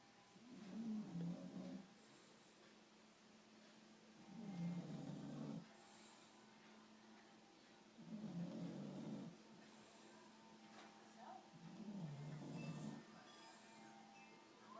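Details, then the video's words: Sleeping bulldog snores steadily, deep grumbling breaths rising and falling in regular bursts roughly every three to four seconds, five in all, over a quiet indoor background. "Cute bulldog snoring"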